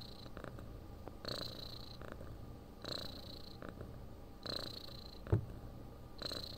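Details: A domestic cat snores and purrs: a low rumbling drone broken by airy breath surges about every one and a half seconds. One brief knock sounds near the end.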